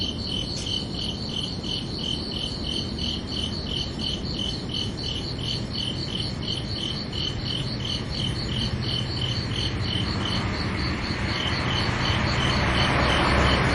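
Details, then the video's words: Crickets chirp at night in summer, a fast, regular string of high ringing pulses, with a broad rushing noise swelling up during the last few seconds and partly covering them. "Calming Cricket Sounds"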